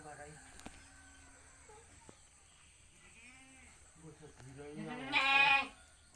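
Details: Domestic goat on a small village farm in Pacitan, where four does gave birth to nine kids within one week; soft human talk and faint bleats lead to one loud, quavering, harmonic-rich bleat lasting about half a second near the end.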